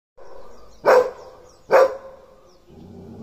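An Irish Setter gives two loud, sharp barks about a second apart.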